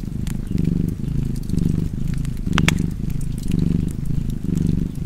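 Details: Cat purring contentedly, a steady low rumble that pulses about once a second, with brief crackles and a bright pop from a nearby fireplace.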